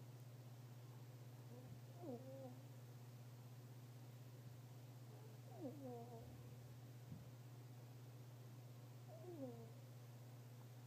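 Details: Fennec fox snoring while asleep, very quiet: faint squeaky, downward-sliding whistled notes come about every three to four seconds over a steady low electrical hum.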